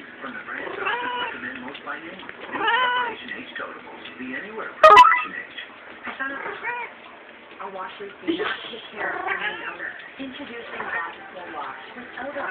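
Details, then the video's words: Domestic cat in heat at a friend's house, giving drawn-out harmonic yowls around 1 and 3 seconds and again later, mixed with people talking and laughing indoors. "Horny Kitty"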